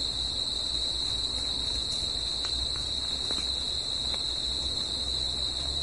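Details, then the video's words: Nighttime crickets singing outdoors; the high, steady ringing trill never pauses, with a weaker overtone above and a low hum beneath, plus a few brief clicks. "CRICKETS AT NIGHT"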